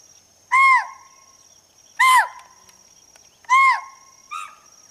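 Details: Chital, or spotted deer, alarm call in forest: sharp, high, arched barks repeated about every one and a half seconds, three strong calls and a fainter fourth, with a steady high insect-like whine behind.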